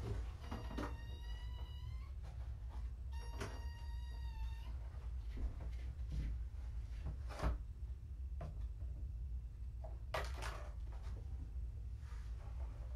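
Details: Two high kitten meows, each steady and slightly rising, close together at the start, from rescued kittens found abandoned in a roadside box, at a weigh-in. Knocks, rustling and clatter from handling follow, over low hum.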